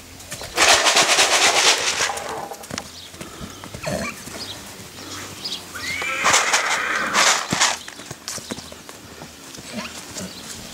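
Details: Purebred Lusitano horse at a stud farm that has bred the breed for over 20 years, giving loud, harsh, noisy whinnies, one near the start and a second, partly tonal neigh around the middle, with hoof clops and soft background noise.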